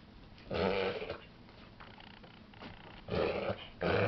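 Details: Female pet dog making strange sounds indoors that worry her owner: short, rough, snorting bursts, each about half a second long, in clusters separated by quieter breathing, with the last burst cut off at the end.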